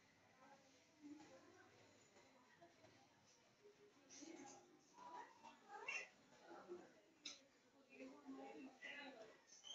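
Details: Kittens with their mother cat, calling to her: a series of high, thin meows that rise and fall, irregularly repeated over the last six seconds, with quieter rustling and soft background voices.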